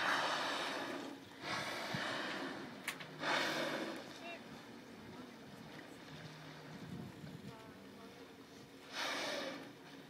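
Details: Four or five finback whales surface and swim close past a boat off Grand Manan Island on July 6, exhaling in broad, breathy whooshes near the start, middle and end, with a low engine hum and a voice talking between blows.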